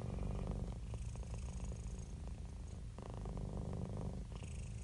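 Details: Contented domestic cat purring close by, a deep steady buzzing rumble with rhythmic breath cycles, each phase lasting about two to three seconds, softly hissing at the turns.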